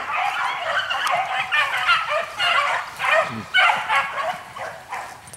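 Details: Dogs in full cry while running a hare in spring, an uneven pack chorus of yelping, baying bursts that swell and fade, roughly two per second with overlapping voices, and quiet outdoor background.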